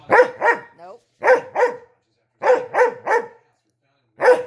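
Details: Dog demand barking to get something, filmed by a dog trainer: short sharp barks in quick pairs and triplets, a brief whine between, then a pause and a single bark.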